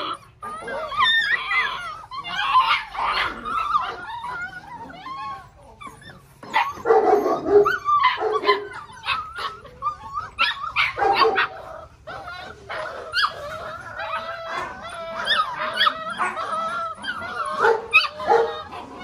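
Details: Six-week-old Belgian Malinois puppies of the Lorockmor Mensa X Pixel litter, several together, giving high yips, short barks and whining cries in overlapping bursts, some bursts dense and others with pauses.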